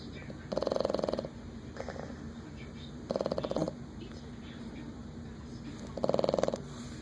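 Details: Boston Terrier snoring loudly while asleep, keeping someone awake. Rattling, buzzy snores come in bursts about every three seconds, over a steady background hiss.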